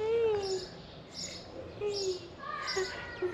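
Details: Stray cats emerging from green grass and heading to the person who feeds them; four harmonic, meow-like calls with falling pitch, one long and three short, over faint high bird chirps and steady outdoor background noise.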